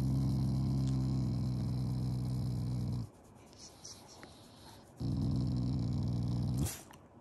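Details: Shiba Inu named Tai, a family pet, growling affectionately and not in anger at mealtime indoors: two deep, steady rumbling growls, each around two to three seconds long, separated by a short quiet pause.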